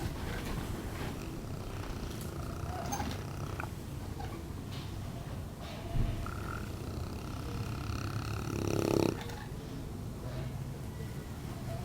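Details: A sleeping Neapolitan Mastiff, almost one year old, snoring; low rumbling, rattling breaths in a dense continuous drone, with a louder snort near the end.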